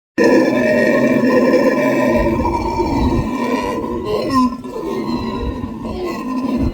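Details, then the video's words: Howler monkeys in a loud chorus of deep, rasping roars and grunts, sustained and throaty with rough pulsing texture, dipping briefly midway before resuming at full strength. "Howler Monkeys making one hell of a racket"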